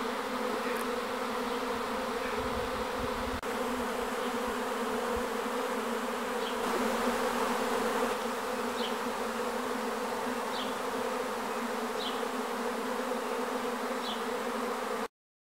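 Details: Steady droning hum from a wild honey bee swarm in Aigurande. The buzz stays unbroken, with a brief low rumble near the start and a few faint, short high chirps in the background.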